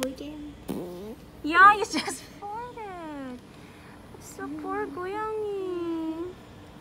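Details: Stray cats give several drawn-out meows that rise and then slide downward, with a long falling meow near the end, mixed with people talking nearby and a few sharp clicks.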